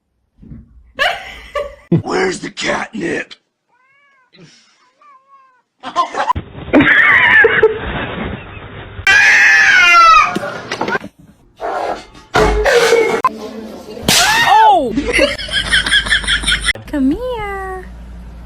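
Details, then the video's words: Kitten crying indoors: a series of rising-then-falling, drawn-out meows, some short and some stretched, coming in bursts after a quiet opening, with people talking and handling noises in between. "kitten meowing crying"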